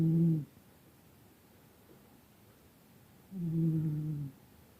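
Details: Sleeping cat snoring: two low, droning, harmonic breaths, the second lasting about a second, separated by roughly three seconds of quiet hush.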